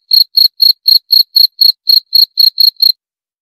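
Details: Cricket giving roughly a dozen sharp, high chirps at about four per second, then falling silent for the last half second; nothing else audible.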